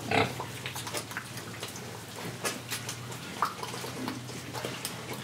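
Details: Pig in Indonesia breathing and eating: one short broadband grunt near the start, then scattered soft clicks and snuffles over a steady low hum.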